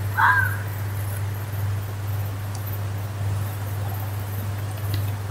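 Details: One short, hoarse scream from a fox in the woods, followed by several seconds of quiet with only a steady low drone.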